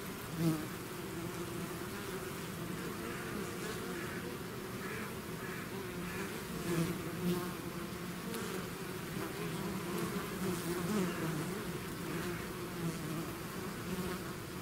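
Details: Many bees swarming out of a hive create a constant layered drone, low humming bands under scattered brief rising whines as single insects fly near, a small bump at the start.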